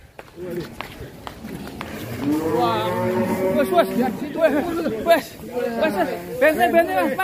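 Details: Raging one-ton cattle escaping its pen, with drawn-out harmonic lowing in the middle and wavering voiced sounds after it, mixed with people talking nearby.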